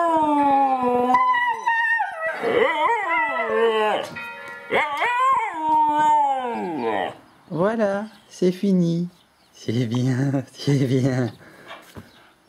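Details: Two Siberian Huskies howl in turn, one starting and the other following, in long, wavering tones that swoop up and down like singing.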